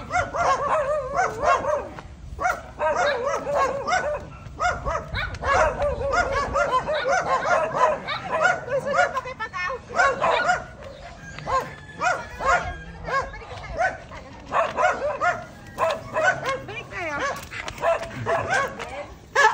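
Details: Diango, a Belgian Malinois pup of four months being exercised and trained, barks and yips almost nonstop in dense high bursts with short gaps, while people talk in the background.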